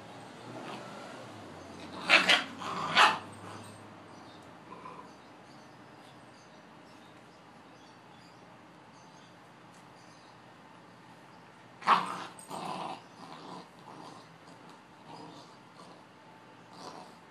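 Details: Two Boxers at play, giving a few sharp broadband barks around two seconds in and again near twelve seconds, with quieter growly sounds between and long quiet stretches.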